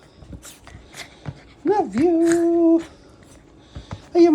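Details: Pet Chihuahua named ChiChi greeting its owner indoors: a drawn-out tonal whine that rises, dips, then holds level for about a second, with a shorter whine at the end, amid a person's affectionate talk and background rustling.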